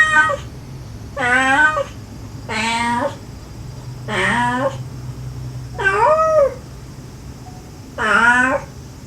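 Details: A stray mother cat gently calling her kittens, with the kittens answering, recorded during a rescue of five kittens; six separate meows about every one and a half seconds, each a curved, harmonic-rich cry.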